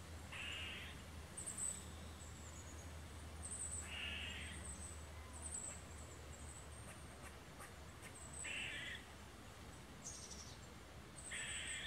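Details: Alert barking from an Eastern gray squirrel reacting to walkers on a woodland trail; four harsh, clipped barks at irregular intervals of two to four seconds, a high steady hiss overhead and faint low hum.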